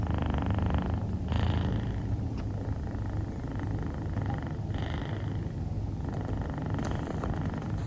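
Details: A dozing female Scottish Fold kitten named Rufu, dilute calico, snores in a low, rattling hum, with a few hissy inhalations rising above the drone at irregular intervals.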